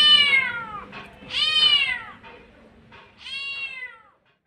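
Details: A mother street cat gives three loud, drawn-out meows, calling for her kittens.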